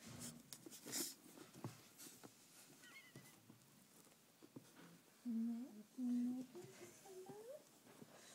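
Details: Rhodesian Ridgeback puppies, three and a half weeks old, visited at the tom etthewide kennel in 2010: soft scattered squeaks, then two louder low whimpers a second apart and a short rising whine, over faint indoor rustling.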